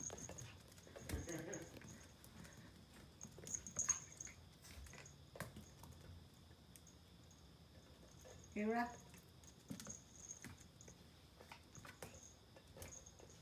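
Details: Pomeranian puppy playing with a ball indoors gives one short, high, yappy bark with a rising harmonic edge midway, set among soft pattering and tapping, with a person's voice speaking near the start.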